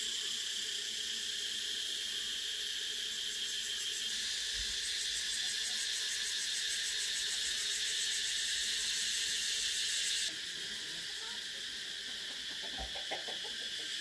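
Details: Cicadas keep up a loud, rapidly pulsing high whine. The tone brightens for several seconds, then drops back to a slightly softer, steady drone with a couple of low knocks.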